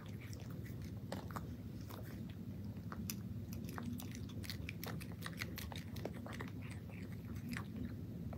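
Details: A cat chews crunchy dry food in a small room, giving rapid, crackling crunches throughout, packed closely together over a deep, even hum.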